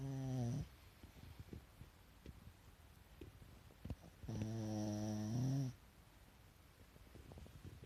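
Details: Pet Pekingese asleep with the whites of its eyes showing, giving two long buzzy nasal snores, one at the start and one lasting over a second midway, with quiet breathing and faint clicks between.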